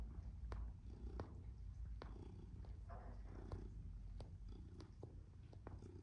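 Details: Purring from Tom, a black and white male domestic shorthair cat kneading happily; a deep, rhythmic rumble swelling with each breath, punctuated by light tapping clicks.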